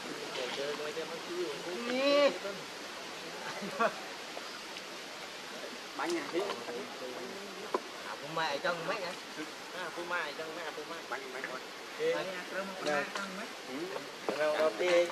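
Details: Baby monkey Leo, having lost its mother, cries while begging for milk. High, wavering squeals rise and fall in pitch and come in short clustered bursts through the recording, over a steady rushing background.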